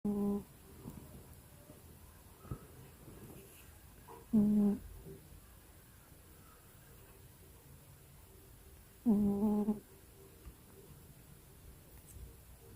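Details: A sleeping pet cat snores indoors in a small room: three drawn-out, humming, tonal snores, each under a second, arrive about every four to five seconds, with soft low rustles and quiet between.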